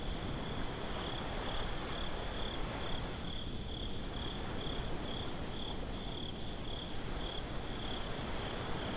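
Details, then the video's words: Crickets chirping at night on a beach, recorded binaurally: a steady high-pitched pulsed trill, about four beats a second, running through the whole stretch over a heavy low rumble of surf and wind. "Crickets at the Beach"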